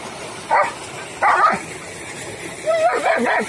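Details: Long-coated German Shepherd dog in India gives three loud barks spaced about a second apart, the last pair sharper and rising, over a quiet background hum.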